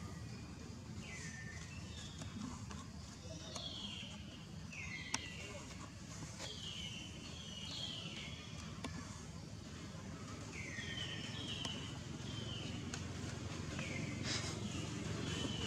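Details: Small wild baby monkey Jinx crying for milk from old mother Jade, whose milk has run dry: a long series of high, falling whistled wails, often in quick pairs, over constant low-pitched outdoor rumble and occasional clicks.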